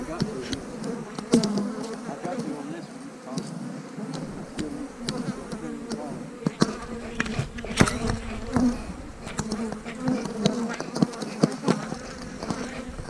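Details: Kept honey bees humming steadily while hives are split in March 2020, queen cells in the splits; a sustained low drone with overtone bands and many short knocks and clicks from beekeeping handling.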